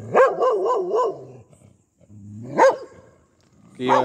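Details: Pomeranian barking aggressively: a quick string of harsh, wavering yaps, a short silence, then a single loud bark and the start of another.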